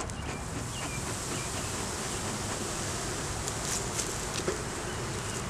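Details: Honey bees in an opened beeyard hive during a beginner's inspection that found a laying queen, honey, capped brood and larvae, filmed on a Canon Rebel T6: a steady, dense low hum with faint clicks and rustles over it.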